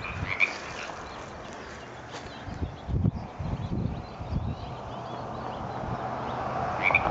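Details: First frog croaking of the year in Frog Hollow, Pleasant Hill, California, on January 30, 2014: two short, high croaks, one near the start and one at the end, over steady low rumbling background noise.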